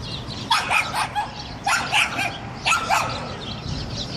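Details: Dolce, a Hungarian Vizsla hunting dog out on a walk, barks at a pigeon that refuses to be scared off; three bursts of sharp barking about one second apart, with shorter yips between.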